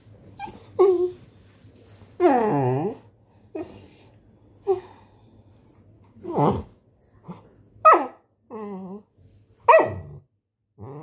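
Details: Labrador Retriever puppy giving a run of short whimpers and yelps, some slurred and sliding downward, one longer wavering whine near the middle, with brief quiet gaps between the bursts.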